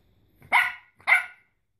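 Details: A male Shih Tzu puppy, 12 weeks old and fluffy after his first bath, gives two quick, bright barks about half a second apart. The background is otherwise quiet.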